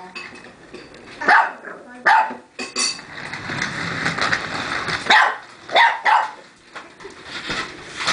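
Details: Puppy barking at a remote-controlled car indoors: short sharp barks, some in quick pairs, between quieter gaps, over steady room noise and faint human voices.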